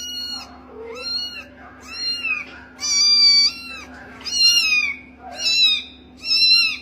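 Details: Kitten calling in a series of high, thin, repeated mews, about one per second, some wavering and bending in pitch, with a steady low hum underneath.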